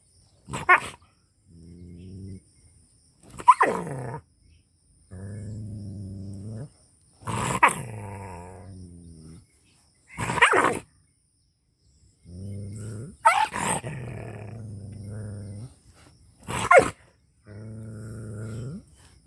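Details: Angry dog in rural Pakistani Punjab gives sustained low growling howls of one to two seconds, regularly punctuated by single sharp explosive barks, with near-silent pauses between bouts.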